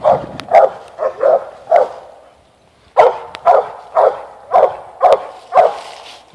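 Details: Mountain Cur pup, eight months old, barking at a treed animal up on a limb: short loud barks in two bursts, about two per second, with a pause between bursts.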